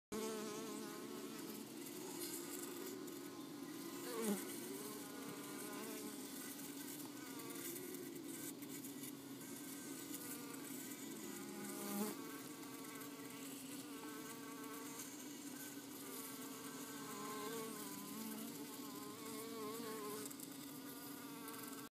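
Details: Honeybees in an overfull house hive close to swarming, a steady dense droning hum with layered tones that holds throughout, with faint brief rises and small knocks.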